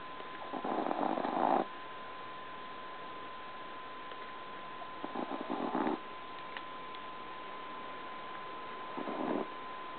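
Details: Tiny two-pound Chihuahua sleeping and snoring indoors; three rasping, breathy snores, each lasting over a second and coming roughly every four seconds, with a steady thin electronic whine running throughout.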